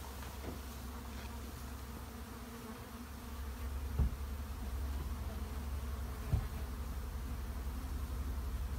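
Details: Honey bees in a shed, heard as a steady, low droning buzz that holds evenly throughout under a deeper rumbling hum, broken by two brief knocks partway through.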